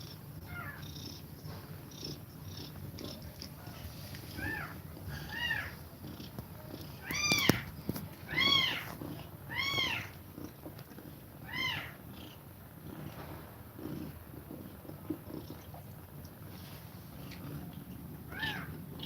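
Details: Mother cat nursing her kittens indoors, breathing fast while they feed: a low, steady rumbling purr runs throughout beneath repeated high, arching kitten mews that come in bursts, loudest around the middle.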